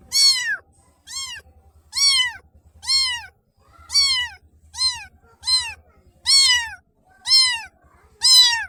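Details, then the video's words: Young black kitten giving a steady run of bright, arching mews roughly every second, each call brief and harmonic-rich, with faint low rumbling in the pauses. "BLACK baby Kitten Makes Lovely Sounds"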